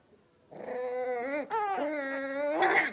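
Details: Five blenheim Cavalier King Charles Spaniel puppies, born on New Year's and just moved to a big indoor pen, make a drawn-out, wavering, tonal whine, broken briefly after one second, resuming and lifting at the end.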